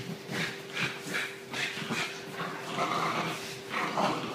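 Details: English Bulldog, female, two years old, 25 kg, giving a series of short whining, whimpering calls roughly every half second, some with a thin whistled tone, over a steady low electrical hum indoors.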